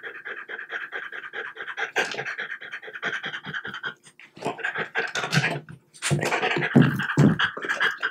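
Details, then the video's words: Close indoor recording of a French Bulldog being fed bites of boiled chicken breast; rapid, breathy, evenly pulsed panting runs through most of the clip, broken by a few chewing clicks and a short pause. "French Bulldog Eating Chicken Bites"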